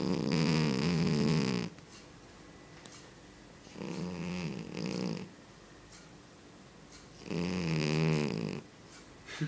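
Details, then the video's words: A cat with an extremely loud snore, heard as three long rasping, rattling snores, each about one and a half seconds, repeating roughly every three and a half seconds with quiet gaps between. "possibly the worlds loudest snoring cat"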